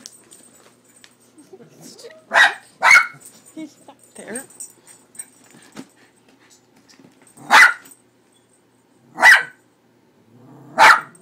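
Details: Pet dog Leo barking at the cat picture on a cat food bag he is afraid of: five sharp, loud barks, a quick pair near the start, then three more spaced a second or two apart, with quiet indoor speech between them.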